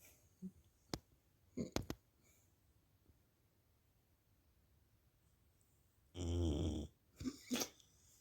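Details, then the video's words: One deep, harsh snore from a dog lasting under a second near the end, preceded by several sharp clicks and knocks in a quiet room. "Hund schnarcht / dog snores"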